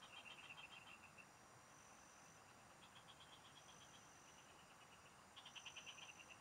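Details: Frogs singing in rice fields, recorded during fishing: short trains of rapid, evenly pulsed clicking notes, about three per second, start, pause and restart across the clip over a steady high insect hiss.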